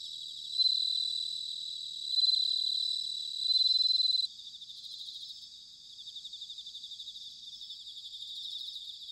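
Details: Autumn bell cricket, Sanuki, Chiba, Japan: three loud ringing bell-like bursts in quick succession, each swelling then cut off, followed by a softer continuous pulsing insect chorus.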